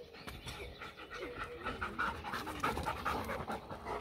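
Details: German Shepherd x Labrador dog panting during playtime with its owner, quick breathy pants in a steady run with a few faint whiny tones mixed in.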